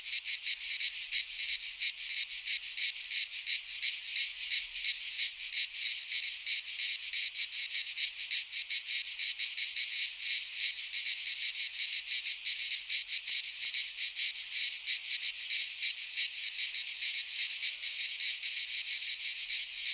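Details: Greek pine forest in midsummer, with a chorus of cicadas: a steady, shrill, grating drone with fast, even throbbing that runs without a break, no birds or people.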